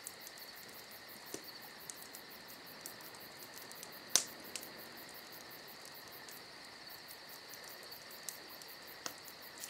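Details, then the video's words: High, constant cricket trilling fills a summer night, overlaid by a crackling fire with one strong pop and a few softer clicks. "Summer Night Crickets & Crackling Fire"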